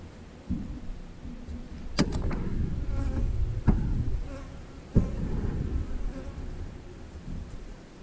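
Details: Honey bees at an 8-frame hive: a steady low humming drone of many bees, overlaid by sharp knocks and rustling handling noises around two, three and a half and five seconds.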